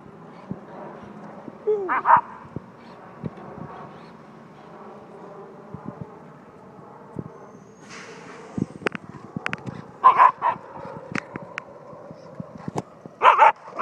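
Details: German Shepherd puppy playing with a remote-control car during a morning drive; a few short, sharp barks near the start and again toward the end, separated by clicks, rattles and mechanical noise.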